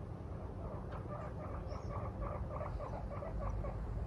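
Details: Pet guinea pig Moru-chan, a female, reacts to her owner sleeping in one morning with a series of soft, evenly spaced squeaky calls, quieter than a steady low background rumble, a faint tap near the start.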